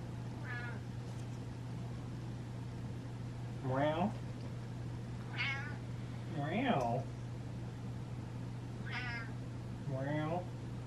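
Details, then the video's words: Domestic cat meowing because it feels ignored and wants attention, indoors; several wavering, drawn-out meows spaced a second or two apart, mixed with a person speaking and repeating meow back, steady low hum underneath. "Meowing Cat Feels Ignored"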